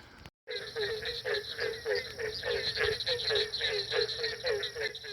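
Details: Barking treefrogs calling at night at a breeding area in Ocala National Forest, Florida: a dense chorus of rapid, hollow, repeated notes, several per second, from many overlapping frogs after a brief dropout.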